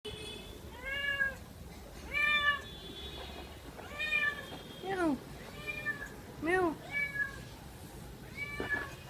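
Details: A cat meowing while drinking milk, giving a quick run of about eight arching, harmonic-rich meows, some short and some drawn out with rising-falling pitch, spaced roughly one second apart, with faint room noise behind.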